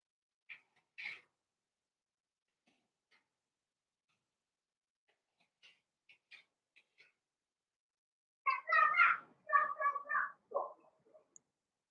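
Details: Blenheim Cavalier King Charles Spaniel puppies, born November 14, 2022, in an indoor puppy pen: a few short squeaks early on, then a burst of high, wavering whines and yelps repeated rapidly for about three seconds near the end.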